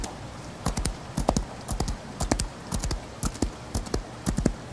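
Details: Horse galloping in the rain: quick clusters of dull hoof thuds at an uneven gallop rhythm, roughly two beats per second, over a steady hiss of rain.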